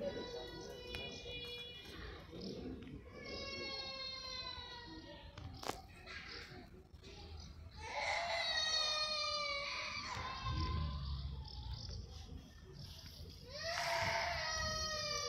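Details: Poofy, a pet cat indoors in a small room, given a well-deserved rest, calls in drawn-out, harmonic, wavering meows, four long cries spaced a few seconds apart, with a sharp click midway and faint room noise.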